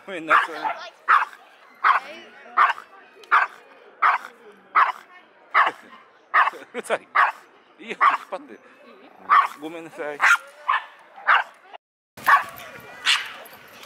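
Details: A small, aggressive Pomeranian–Pekingese mix dog at the Yoyogi Park dog run on a busy Sunday keeps up sharp, high-pitched yaps, one or two a second, some doubled, barking at surrounding dogs and people; voices in the background.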